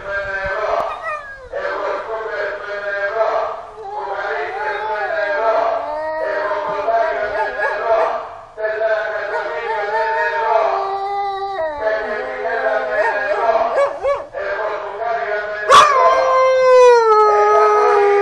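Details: Siberian husky named Brouto, angered by loudspeakers, howls in long, wavering, harmonic tones that slide up and down almost continuously, with brief breaks and a sharp rising yelp near the end.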